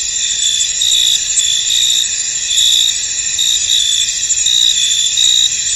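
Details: Foggy field crickets: a thick high-pitched insect drone with repeated bright chirp pulses, about one per second, steady and unbroken.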